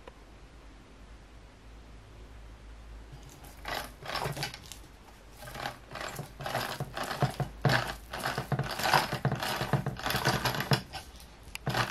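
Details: Quiet room hum for three seconds, then a busy run of irregular mechanical clicks, rattles and taps, like small objects knocking and scraping together.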